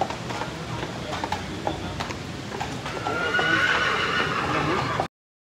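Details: Percheron horses at the Oregon State Fair in 2023; one horse lets out a loud, rising, tonal whinny midway, over steady crowd chatter and the clatter of hooves on a hard floor.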